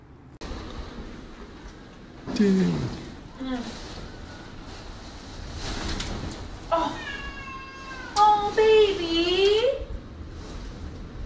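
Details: Cat indoors giving several drawn-out, wavering meows, a short one early, then longer rising-and-falling calls near the end, over a person talking and background music.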